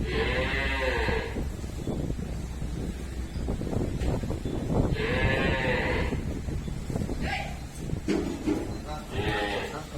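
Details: ['Murrah buffalo at a dairy farm calling repeatedly: four fairly high, wavering, bleat-like calls about two to four seconds apart, over steady rumbling farm noise and clatter.']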